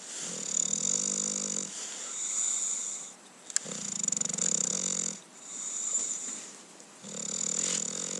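An English Bulldog snores in slow, rasping breaths, each lasting about two seconds with brief pauses.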